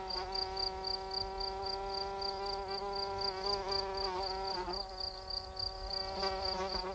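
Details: At night, a cricket chirps steadily at a high pitch, about four times a second, over a low humming drone.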